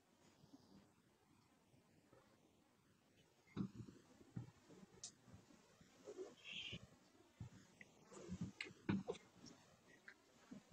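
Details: Sleeping pet cat snoring: quiet for the first three seconds, then irregular low, raspy rumbling breaths with uneven bursts that grow louder toward the end, in a quiet indoor setting.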